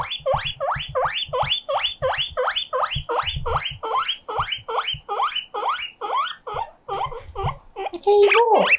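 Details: Loud siren-style squealing by pet guinea pig Mokohei, appealing for company: evenly repeated rising whistles, close to three per second, slowing toward the end before a sharp, wavering squeal.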